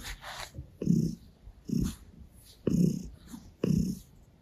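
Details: Gray Russian Blue cat purring while licking a hand and kneading on a person's stomach; rumbling low purr pulses about once a second, each with a soft breathy rasp, close and indoors.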